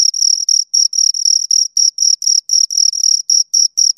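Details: High-pitched chirps from two crickets come in quick, slightly uneven bursts, some pulses running together into longer trills, with a thin upper ring above the main tone; a clean background otherwise.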